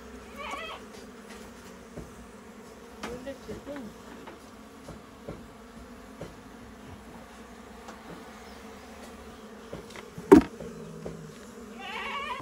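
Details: Local honey bees inside a goat shed at a farm house during a honey harvest: a steady low drone of wingbeats runs throughout, with brief voices, a sharp knock near the tenth second and a faint bleat-like call at the start and end.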